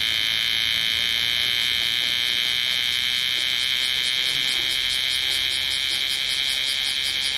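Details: Loud bear cicada chorus in Osaka city, summer 2010: an intense, constant buzzing whine. Its upper edge takes on a fast pulsing throb, about two or three beats a second, in the later seconds.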